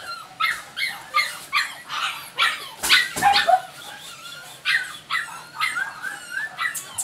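Jack Russell Terrier puppies give a rapid string of high, thin yelps and whimpers.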